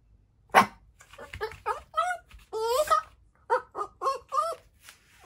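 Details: Tiny black mame Shiba Inu, born July 2019, indoors at home, going wild after the doorbell rings and a visitor arrives. A sharp knock, then short, yelping barks with wavering pitch, loose at first, then four or five in a quick burst.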